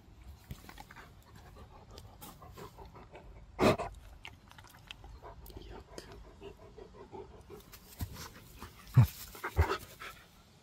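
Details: Quiet rhythmic panting from a pet dog during play and eating, a soft fast breathy pulse with occasional louder thumps and knocks near the middle and end.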